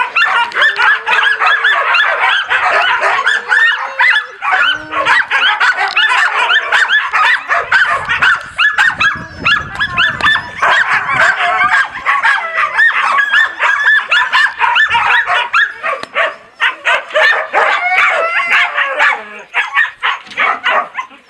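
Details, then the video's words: A group of husky and laika puppies barking and howling loudly together, recorded on 4 June 2016: a dense, continuous chorus of high yips, yelps and wavering howls overlapping throughout. "Хаски и лайки щенки , лают и воют. Громко!"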